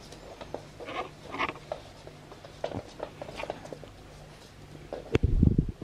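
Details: An albino male ferret playing with an arm gives soft, short clucking bursts amid light pattering and scuffling, with a loud thump near the end.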